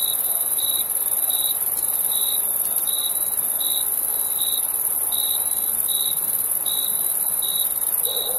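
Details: Cricket chirps in the night, summer: crisp, evenly spaced pulses about every three-quarters of a second, each a short shrill note, with a steady high-pitched insect drone running underneath throughout.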